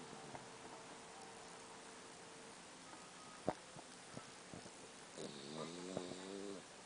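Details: Puppy asleep, giving a wavering, buzzy snore near the end after several faint clicks and taps; low hiss throughout the otherwise quiet room.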